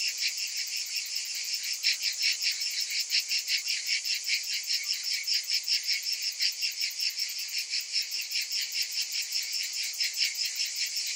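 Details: Summer cicadas throbbing in a bright, high rasping chorus, its pulses coming regularly at about two and a half per second and holding steady throughout.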